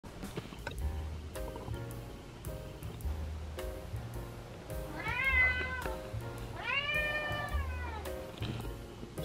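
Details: Male domestic cat kept indoors, calling loudly because he wants to go out and play with raccoons; two arched, harmonic meows midway, over steady background music with a low repeating bass pattern.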